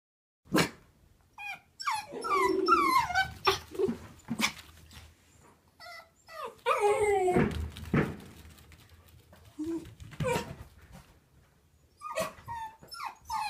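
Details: Choco, a lively female smooth miniature Dachshund born in 2011 and nearly four years old, kept indoors as a pet, gives a rapid string of high, wavering whines and sharp yelps broken by short pauses, some rising and falling steeply.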